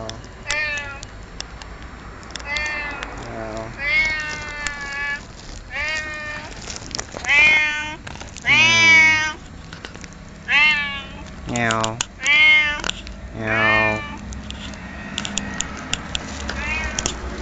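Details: A fat cat at a Lawson shop in October 2007, meowing while being talked to: about ten repeated meows that rise and fall, some short and some drawn out, with a person's voice and faint music in the background.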